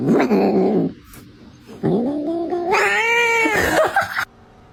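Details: Domestic cat giving loud, drawn-out yowls: a first wavering cry, a short pause, then a long yowl that rises and bends through a strained, harmonic-rich middle before cutting off abruptly.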